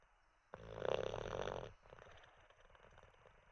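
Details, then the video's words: One long, rough snore from Teddy, an Olde English Bulldogge asleep after treats and a wee, rattling for about a second before fading into soft, quiet breathing. "Six minutes of a snoring olde English bulldog"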